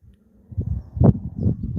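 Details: A wild yellow mongoose at a South African meerkat reserve gives a rare, extreme alarm: a low, rough growl call in short throaty bursts, after a Cape crow alarmed in the distance; 28 December 2025.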